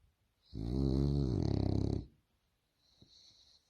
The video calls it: french bulldog snoring snore funny